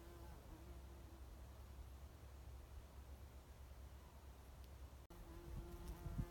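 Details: A bumblebee on Oregon grape at Lewis and Clark National Historical Park gives a low, even droning buzz that swells and fades as it moves, over a soft background rumble, with a brief break before returning stronger.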